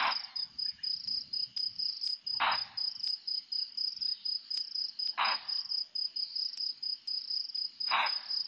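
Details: Bushbuck at Nkorho around 4–4:30 a.m. gives hoarse, explosive alarm barks about every three seconds over steady night crickets.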